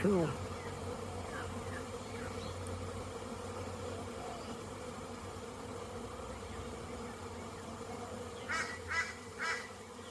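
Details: Honey bees on orientation flights around a very busy hive on 22 September 2022, many bees inside and outside. A steady, low droning hum with a faint higher whine runs throughout, and three short, harsher bursts come near the end.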